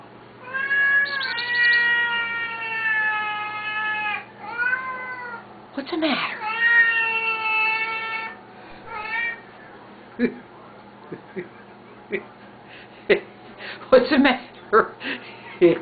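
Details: Siamese cats, a noisy pair, yowling at feeding time: long wavering meows and caterwauls in the first eight seconds, then scattered clicks, taps and short kitchen noises as the calling dies down.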